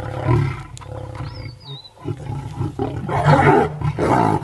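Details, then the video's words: Lions of a six-male coalition with the Paradise pride feeding on a hippo at Paradise plains, Maasai Mara, March 2023, group roaring; deep rough roars and grunts, swelling louder toward the end, with a faint bird whistle. "ROAR ! Kibogoyo, 6 Pack Males, with Paradise pride, hippo meal, Maasai Mara lions"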